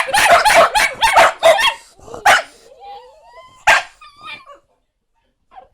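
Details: A talkative Italian Greyhound gives a quick run of yippy, moaning vocalisations and then a long rising whine while being spoken to, possibly wanting to go out.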